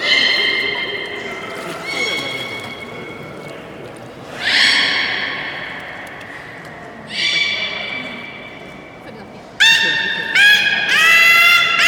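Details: Beluga at Port of Nagoya Public Aquarium during a public training session, 24 March 2018, 16:30 show: long harmonic whistles, louder buzzy squeals near five and seven seconds, then a quick run of rising chirps at the end, in a reverberant hall.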